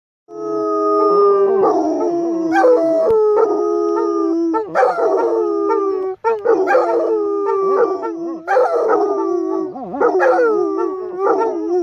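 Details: Basset Hounds, reunited a few days after their mother died, howl together in long, wavering, overlapping notes with rich harmonics; the owner thinks they knew she had passed.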